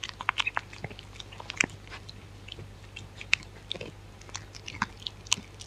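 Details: Dog eating, recorded close up with no talking: irregular crisp crunches and wet bites in quick bursts, some sharp clicks standing out, over a faint steady low hum.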